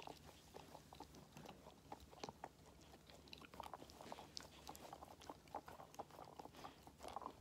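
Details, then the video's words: Five-month-old Labrador Retriever puppy eating treats indoors: irregular crunching and biting clicks, soft wet chewing between bites, quiet small-room background. "Dog Eats Treats"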